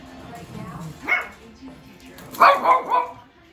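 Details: Shih Tzus playing, a 3-month-old puppy and a dog of about 10 years, yap in short, sharp, high barks with a brief lull between bursts.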